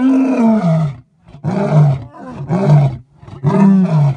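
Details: A male lion at Thornybush Private Game Reserve, South Africa, roars in deep, moaning bursts that fall in pitch, repeated about once a second.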